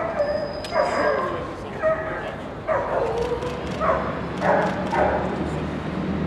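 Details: Junior puppy Doberman at an FCI Group 2 dog show: loud, harmonic barks in short bursts, roughly one a second with brief pauses, over a murmuring crowd and voices in a large hall.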